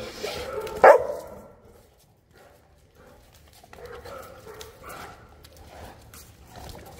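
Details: Boerboel, or South African Mastiff, from the pair Enzo and Diva living in Egypt, gives a single loud, short bark near the start, followed by near silence and faint background rustling.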